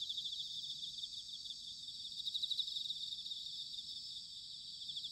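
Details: Autumn chorus of bell crickets recorded in Sanuki, Chiba, Japan: dense, high shimmering trills overlapping continuously, no single singer standing out, with faint low rumble beneath.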